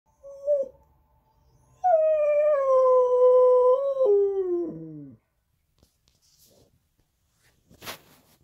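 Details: A red Siberian husky puppy howls in the morning: a short low note, then one long steady howl that wavers, falls and breaks into whimpering yips, followed by quiet and a faint click.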